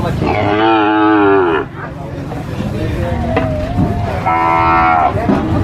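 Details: Cow at an animal market during unloading, a loud, strained moo lasting over a second that falls at the end, a quieter pause with voices, then a second similar moo.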